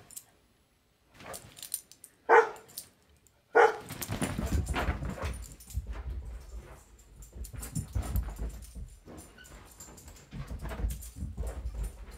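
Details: Black Labrador retriever standing and barking while watching a Weimaraner get the zoomies; two sharp, loud barks early on, then continuous scuffling, thumping and running noise from the playing dog, with a few softer vocal bursts.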